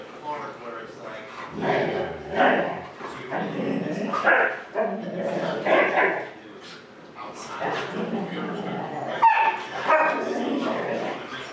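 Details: Huskies left home alone while owners ran errands, one about a year old, at their old home: continuous yowling, talkative howls and whines rising and falling, with short yips, several dogs overlapping.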